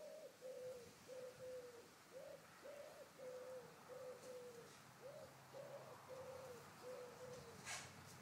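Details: Bouvier des Flandres puppies, five weeks old, playing with their mother in a garden; a steady series of short, clear, mid-pitched whimpers, some arching up and down, about one every two-thirds of a second, over faint outdoor background.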